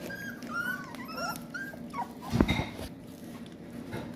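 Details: Rottweiler puppies growl low and steadily, with high thin whines over the rumble, while getting their first taste of raw food.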